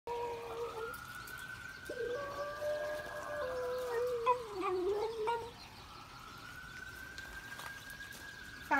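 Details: West Highland White Terrier named Astro howling at a passing fire truck while drinking water; drawn-out wavering tonal howls overlap a long, steady rising and falling siren wail, with a louder, shakier stretch midway.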